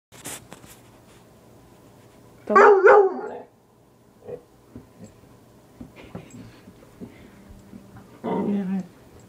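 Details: Pet dog barking at a piece of wood it dislikes: one burst of two or three harsh barks, then a long quiet gap with faint background sounds, and another short bark near the end.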